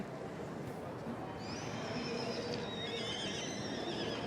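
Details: Welsh Cob, a two-year-old filly shown at a show on her second outing of the season, having earlier won first and young champion; a long, quavering whinny begins about halfway through, wavering high overtones above a steady murmur of background noise.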